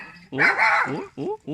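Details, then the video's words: A little pet dog barking at people: loud, harsh barks with rising then falling tone, a long bark followed by two shorter ones in quick succession. "Little dog barking at people"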